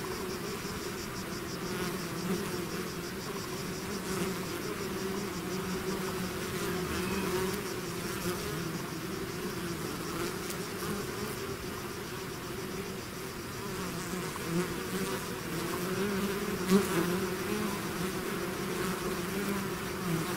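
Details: Steady buzzing of a bee swarm out of its hive, a continuous layered drone of countless wingbeats, with occasional brighter buzzes as individual bees pass near.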